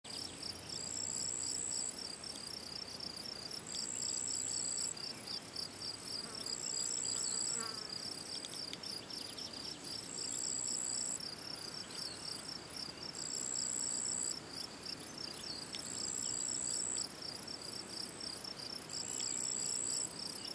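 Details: Field cricket (Gryllus campestris) at the ponds in the Draga valley on 18 June 2023: a steady, high, rapidly pulsed chirping trill. Short, higher buzzy notes from another insect recur about every two seconds above it.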